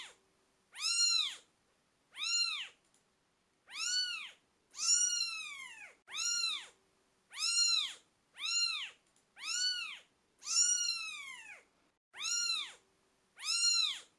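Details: About a dozen insistent high mews from British Shorthair kittens aged twelve days, coming roughly every second, mostly short and arched with a few longer drawn-out cries and a soft hum beneath.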